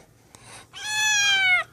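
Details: Rescued kitten Snowball, found abandoned, shaking and dehydrated, lets out one long, steady, high-pitched meow lasting nearly a second while being carried in a small indoor room, after a faint soft sound.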